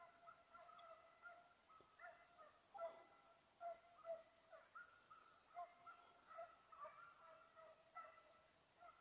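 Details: Petit Basset Griffon Vendéen hound baying while chasing a rabbit, 5 October 2014. Distant, faint, tonal bays rise and fall in irregular bursts, some long and drawn out, others short yelps, roughly twenty a minute, over a soft steady background hiss.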